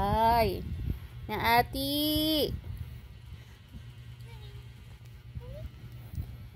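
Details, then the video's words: Pet cats giving loud, drawn-out meows, each arching up and then sliding down in pitch. Two or three calls come close together in the first seconds, then it goes quiet apart from faint background noise and soft voices. "my cats"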